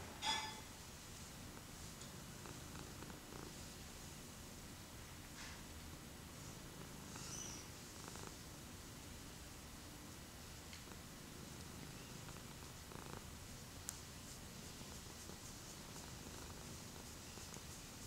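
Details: A male tabby cat purring steadily while being petted indoors, a continuous low rumbling throb with faint rustles and a brief soft tap partway through.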